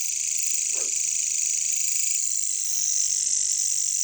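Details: Katydids, locally called caricangkas, in a jungle setting: a steady, dense high-pitched buzzing drone fills the whole recording without a break, while a single short low croak from a frog sounds near the start.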